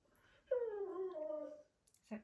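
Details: Ivy, a Cockapoo puppy, indoors with a newly delivered robotic cat toy, lets out one drawn-out whine. It starts high and slides slowly downward for about a second, then a brief human voice follows.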